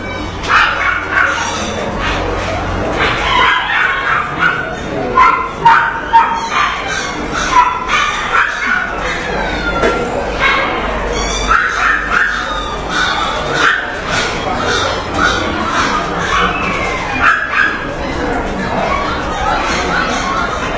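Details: White Pekingese dog giving short, repeated barks and yips at irregular intervals throughout, some with a whiny tonal edge, over a steady broadband background hiss.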